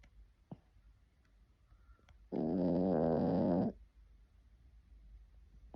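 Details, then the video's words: Dog snoring in its sleep, one loud, rough, humming snore lasting over a second, preceded and followed by quiet room stillness with a couple of faint clicks. "Snoring dog"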